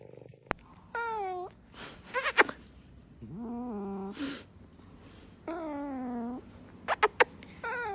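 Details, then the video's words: A dramatic domestic cat gives four long, drawn-out meows, some wavering and falling in pitch, with brief clicks and knocks between calls. "When the most dramatic Cat comes into your life"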